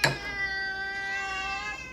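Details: Domestic cat begging for food with one long, steady, loud meow lasting nearly two seconds after a brief click, in a quiet room.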